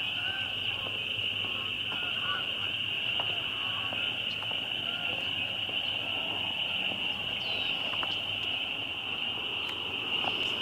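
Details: A really loud bunch of spring peepers calling together, their high peeps merging into a dense, steady shrill chorus that holds unbroken throughout, with a few faint lower chirps scattered beneath.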